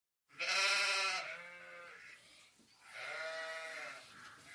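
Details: In a small group of sheep, one gives a long, wavering bleat, followed by a second, softer bleat.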